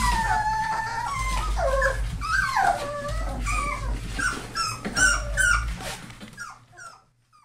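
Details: Four-week-old Labrador and hound mix rescue puppies, several whimpering together indoors: overlapping high, wavering whines that rise and fall and crowd over one another, thinning out and fading to near silence at the end.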